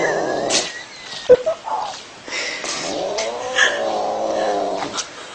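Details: Domestic cat from a compilation of funny cats and kittens, a drawn-out wavering caterwaul with harmonic, yowling tones that rise and fall over several seconds, broken by a few sharp clicks and bumps.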